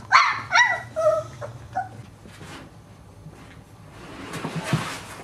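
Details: Boxer puppies at play, giving a quick run of high, yelping barks and whines in the first two seconds, then quieter shuffling and rustling noises.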